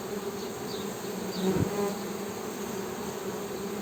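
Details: Western honey bee humming: a steady low droning buzz with a layered overtone. A brief louder buzz swells around the middle. Faint high chirps sound twice in the background.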